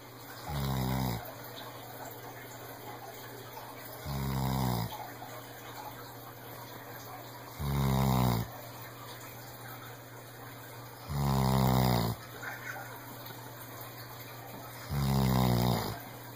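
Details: Sam, a senior rescued Weimaraner, snores in deep, rumbling breaths, each lasting about a second and coming every three to four seconds.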